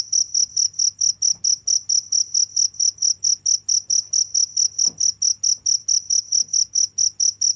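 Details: Nonstop cricket chirps: bright, piercing pulses at a quick, regular pace of roughly four per second, steady in loudness throughout, over a soft low background hum.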